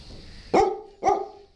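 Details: Dog giving two short, sharp barks about half a second apart, each a bright burst with falling overtones, in an otherwise quiet setting.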